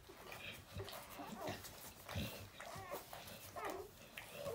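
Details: Newborn puppies making soft, scattered squeaks and short whimpers, a few faint rising-and-falling squeals spaced through the moment, with low rustling and bumping underneath.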